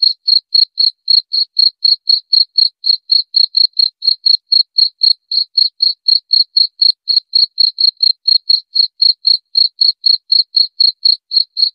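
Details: Cricket, offered as a rat repellent, chirping continuously with sharp, high, evenly spaced pulses at about four per second, slightly uneven in loudness, for nearly twelve seconds with nothing else audible.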